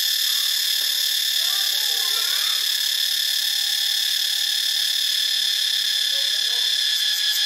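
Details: Cicada chorus recorded at Ubon Ratchathani, Thailand: a loud, sustained, shrill buzz without pause. Soft, lower, chirping and warbling calls of other animals come faintly through at the start and near the end.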